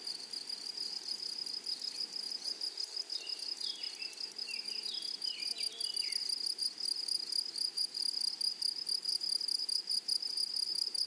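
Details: Grasshoppers in a flowery meadow: a steady high, ringing insect trill with rapid buzzy pulses throughout, and a few brief chirping bird-like notes in the middle.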